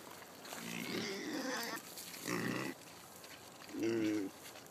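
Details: Kunekune pigs eating pumpkin on a farm, the sow Jenny excited. Three drawn-out nasal grunting calls, the last with a clear tonal whine, separated by short pauses.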